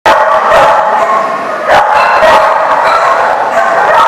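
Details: Many dogs barking together, recorded 8/1/14; a dense, unbroken wall of overlapping barks and yips, with sharper individual barks jutting out near the middle and end.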